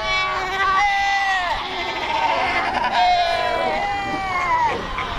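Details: From the vast Cape Fur seal colony at Cape Cross, Skeleton Coast: long, drawn-out bleating cries, each sliding downward at its end, several voices following one another in a loud chorus.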